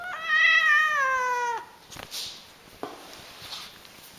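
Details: Domestic cat giving one long, loud meow of about one and a half seconds, held steady then dropping at the end, followed by a few faint clicks and rustles indoors.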